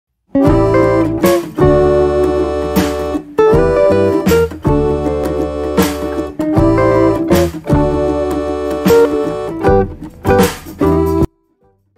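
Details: Strummed acoustic guitar music plays in bursts, then stops near the end; no animal voice.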